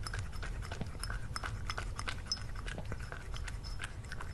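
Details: Close-miked cat munching food during lunch with Lily, ASMR style: quick irregular crunches and wet clicks come in clusters, with a soft low rumble underneath.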